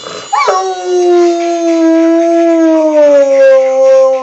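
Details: Coojie, a Rottweiler, wakes from sleeping on a couch when the Geico Piggy commercial plays on TV and gives one long howl that swoops up, then holds a steady, slowly falling tone for about four seconds. A startled person exclaims just before.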